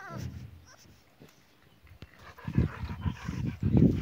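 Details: Bulldog jumping, recorded 2 March 2017; a quiet start with a sharp click, then low rough grunts and snorts bunch together in the final second and a half.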